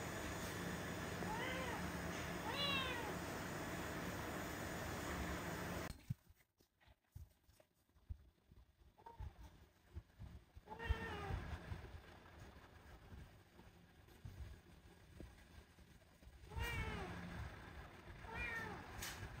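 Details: Rescued stray female kitten with cat flu, at the vet for the first time, meowing repeatedly: six or so clear, harmonic, arching meows in two bursts separated by a quieter stretch, over a steady background hum.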